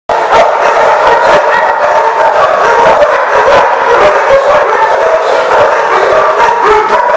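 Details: Dogs at The Barking Lot on 30 January 2015, a dense, continuous din of many overlapping barks and yips with no pauses, the voices piling into a steady mid-pitched wall of noise.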